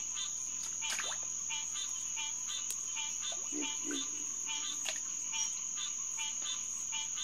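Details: Green tree frogs (Hyla cinerea) calling together at a pond at SMNWR on June 2, 2021, after 9 pm: repeated nasal honks blending into a chorus, with a high steady insect whine and a few lower croaks.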